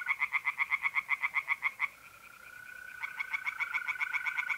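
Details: Tree frogs singing in a pond at night in mid-April in north-eastern Italy: a fast run of loud, regular, pulsed croaks, a short pause, then more croaks over the steady, even trill of mole crickets.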